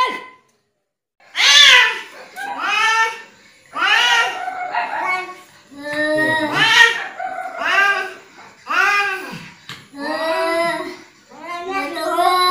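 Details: Agitated indoor cat producing a rapid series of short, arched, whiny meows and wails, roughly one every second, after a brief silence at the start.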